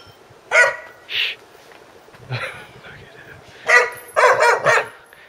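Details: Guard dog barking in short, harsh bursts, one near the start and a quick cluster toward the end, with a person's talking voice between the barks.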